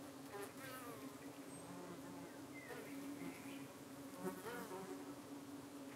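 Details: UK honey bee hive in the evening, bees defending against darting flies; a level low hum continues beneath faint wavering higher calls and a few soft distant sounds.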